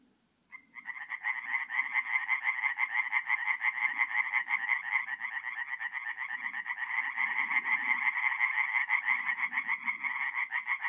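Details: Forest pond in North-East Italy on a mid-April night: after a quiet half-second, tree frogs burst into a fast, insistent pulsed croaking chorus that continues unbroken, with occasional low grumbling sounds in the background.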